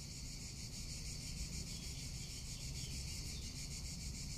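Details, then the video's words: Cicadas singing in summer in Tuscany, a dense, steady, high buzzing chorus with a fast pulsing texture that runs without a break, over a low rumble of wind. "Cicada or Cigarra - Sounds of summer in Tuscany"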